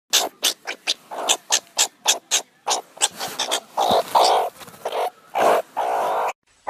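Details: Meerkat giving rapid, harsh chirping calls in quick bursts, some drawn out into longer raspy notes.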